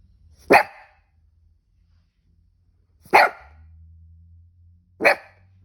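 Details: A cavoodle with hiccups gives three single sharp barks spaced two to two and a half seconds apart, with a low steady hum in the quiet gaps.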